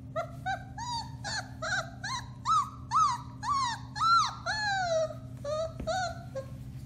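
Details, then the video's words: Alaskan Malamute puppies, four weeks old, from one litter, recorded March 30, 2021, howling in a quick run of about a dozen short upward-bending yelping howls, rising and falling, with a steady low hum behind. "Alaskan Malamutes: Bema & Cole Litter, March 30, 2021: Puppy Howling, 4-weeks old"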